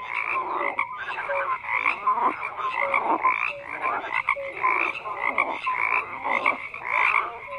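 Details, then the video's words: Steady frog chorus with overlapping grating croaks, bursts swelling and fading roughly every second, plus occasional short tonal peeps sitting above the crowd. "FROGS CROAKING"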